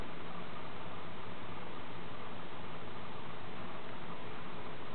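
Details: Constant muffled hiss, like a fan or room noise, cut off in the highs, steady throughout with no animal sound.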